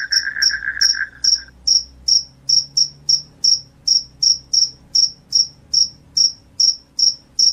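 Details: Cricket calling loudly, offered as a sound to chase off rats and make people drowsy: a brief low trill opens, then sharp, high chirps repeat regularly about two to three times a second over faint background hum.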